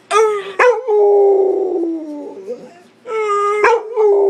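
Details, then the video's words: A pet Pit Bull howls in a contest with a man: long wavering tones with bright stacked harmonics, a sliding howl in the middle and another voice joining near the end, with short gaps between outbursts. "Pittbull howling"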